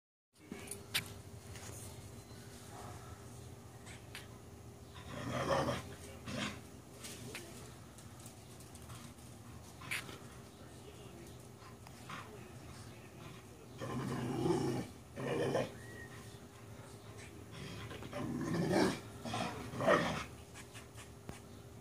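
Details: A dog chasing squirrels outdoors gives scattered short, rough barks, single and in close pairs, separated by long quiet gaps over steady low background hum.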